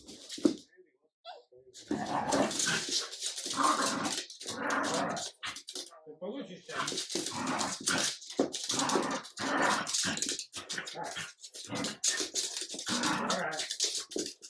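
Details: Adult Jack Russell terrier showing French bulldog puppy Ubi who is leader: long stretch of nearly nonstop raspy growling and snarling with occasional sharp yaps, pulsing in uneven bursts, a human voice faintly mixed in.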